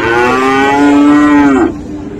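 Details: At Raniganj cattle market, Dinajpur, on 7 November 2024, a Friesian or crossbred bull calf gives one long, rich, steady moo of about one and a half seconds that drops slightly before cutting off, with faint market noise behind.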